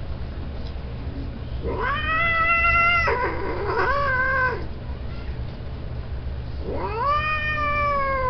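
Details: Breeding male domestic cats caterwauling: two loud, strained yowls run together and waver in pitch, then after a pause a third rises sharply and holds, harsh and nasal, over a low background hum.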